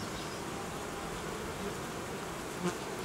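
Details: Honey bee colony opened while a beekeeper reorganises it, removing newly built frames at the edge after temperatures dropped sharply and food ran low; a dense, steady, even hum of many bees fills the recording, with one faint soft knock near the end.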